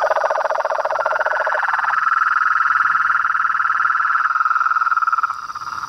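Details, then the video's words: Toads, frogs and treefrogs calling from a pond in front of a veranda at nightfall: a low rattling trill fades after a second or two while a higher steady pulsed trill continues, overlapping voices throughout. "A SINFONIA DOS SAPOS, RÃS E PERERECAS"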